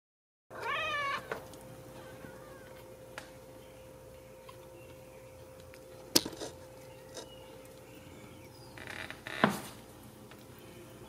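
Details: Ragdoll kitten, home-raised without cages at a cattery in central Kansas, gives one high, wavering, harmonic-rich meow right at the start. Near-silence follows with a steady low hum and a few sharp knocks and clicks.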